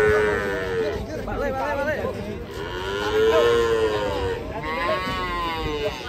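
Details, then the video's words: Cattle being unloaded from a truck in Indonesia, several long drawn-out moos with rising then falling pitch, overlapping and repeated, with background noise and faint voices. "SAPI INI TURUN DARI TRUK"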